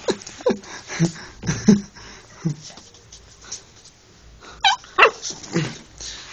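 An Alaskan Malamute gives short whining yips and a pair of sharp rising whines, with a person's voice nearby.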